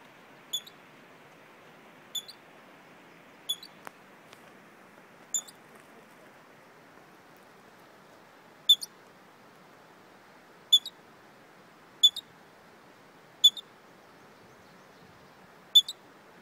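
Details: Squirrel found on a hike, said to have the hiccups: short, sharp, high squeaks, each followed by a softer echoing click, nine of them at uneven gaps of one to three seconds over quiet background hiss.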